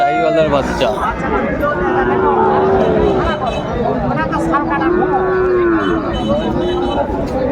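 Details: Sahiwal bulls and young cattle at a Comilla market, Bangladesh, late December 2024; long arched moos, several overlapping, rise and fall against busy crowd noise and traders haggling.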